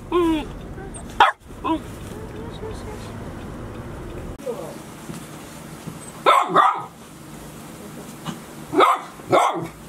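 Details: Golden Retriever puppies 72 days old, Chiro's litter at Ain village, six pups together, filmed 6 July 2018: short sharp barks near 1 second, a double bark after 6 seconds and another near 9 seconds, with a brief whine at the start.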